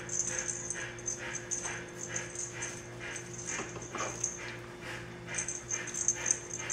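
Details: Dirty puppies at day 27, waiting before their baths, give a steady run of high, thin whimpers and squeals, several overlapping and repeating about twice a second, over a low constant indoor hum.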